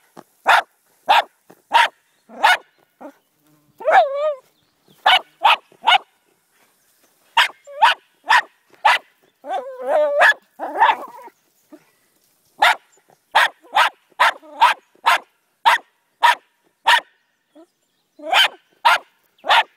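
A Jack Russell Terrier barks in sharp, rapid bursts at a snake, with people's voices in between.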